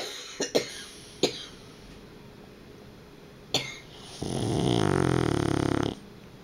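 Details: Dog asleep, letting out a single drawn-out rasping snore of nearly two seconds, preceded by a few sharp clicks and taps in an otherwise quiet room.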